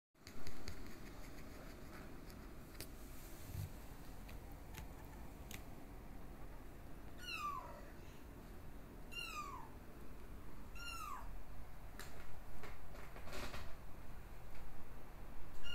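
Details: Exotic Shorthair x Ragdoll kittens born 15 August 2022, nursing from their mother indoors; four thin high mews, each a rising-then-falling arc, spaced about two seconds apart midway through, over a low steady room hum.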